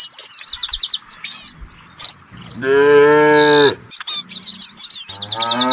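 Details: Village cattle in a herd searching for fresh grass: one loud, rich moo lasting over a second. Busy high chirping birds call throughout before and after it.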